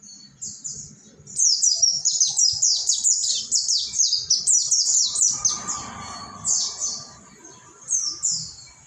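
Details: Mountain white-eye ombyokan song used to train caged birds; a quiet start, then a steady stream of thin, high, downslurred notes, roughly two to three a second, breaking into separate phrases toward the end.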